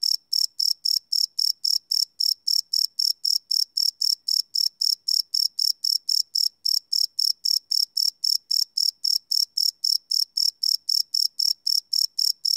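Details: Night chorus of crickets captured live on a Sony PCM D100 field recorder, unlooped: a long, unbroken series of sharp, high chirps, close to four per second, regular and loud against silence.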